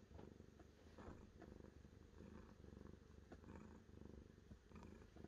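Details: Continuous gentle purring from a cat, low and throbbing with an even rhythm, a few faint clicks and rustles over the top.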